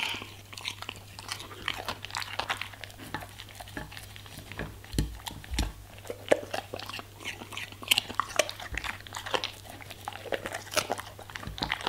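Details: German Shepherd munching vegetables and fruits in a small room, with a long run of crisp crunches and sharp snaps, occasional deeper thuds, and a steady low hum throughout.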